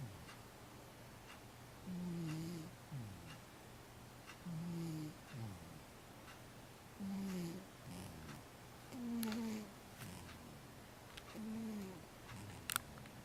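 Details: Regular snoring from 15-year-old cat Matchan, asleep indoors: six low, buzzy, slightly falling breaths roughly every two and a half seconds, each followed by a soft breath in, and a faint click near the end.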